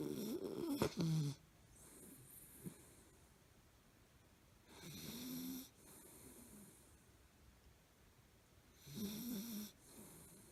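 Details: Milo, a Miniature Fox Terrier, asleep and snoring as usual: soft rasping snores in bursts of about a second, roughly every four seconds, with quiet breathing between them.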